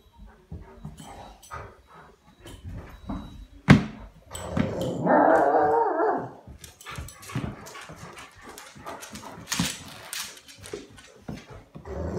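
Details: Golden Retrievers being goofy while playing indoors: after a sharp knock, a drawn-out, grumbling, rough-toned vocalization of about two seconds, followed by scuffling, paw clicks and soft thumps.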